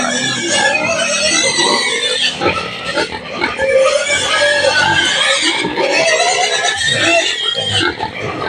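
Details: Native pigs at feeding time on a rural farm, about to be fed gabi (taro). Dense, overlapping high squeals and harsh grunts run steadily throughout, with faint music in the background.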